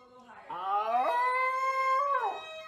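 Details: Dachshund, a wiener dog, giving a drawn-out tonal howl: it starts low, slides upward, then holds a steady, rich pitch for about a second before dropping away; the room is otherwise quiet.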